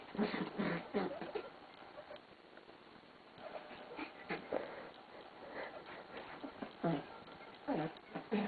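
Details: A Schipperke puppy having a frantic, random activity period on a bed comforter gives bursts of excited yips and grumbling barks amid scrabbling in a small room.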